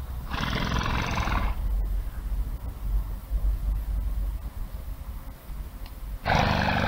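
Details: Tanya, a circus elephant near Paris, France, on October 9, 2020, gives two loud, brassy trumpeting blasts over a steady low rumble.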